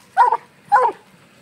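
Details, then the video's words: Black and Tan Coonhound named FOG treeing a raccoon released from a cage, giving two short, full barks about half a second apart, each breaking into a rough, chopped tone, with quiet background between them. "Coonhound treeing on coon"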